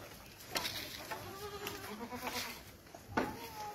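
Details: Boer goat, a meat breed, on a farm in Gazipur near Dhaka: short overlapping bleats with layered harmonic bands, a few rising and falling, plus sharp knocks and clatter of the farm around them.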